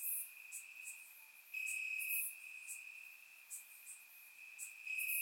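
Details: Crickets chirping in grass on a warm summer night in Bulgaria, recorded with a surround microphone: a steady high trill with louder pulsing stretches, plus brief higher clicks and buzzes of other insects above.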